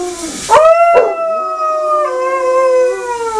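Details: A Basset Hound in the shower gives a sustained, mournful howl. It starts with a sharp upward yelp, then holds a steady tone with strong harmonics for about three seconds. Water hiss sits in the background.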